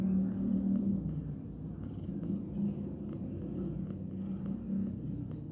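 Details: Cat resting lazily at midday, giving a close, loud low purr in rhythmic pulsing waves with slight swells in volume, steady for several seconds.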